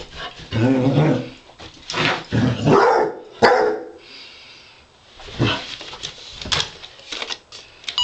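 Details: Basset Hound named Wilma, a pet, playfully fighting with a robot dog; bursts of low growly barks and yips come in uneven clusters with short pauses, plus some scuffling noise.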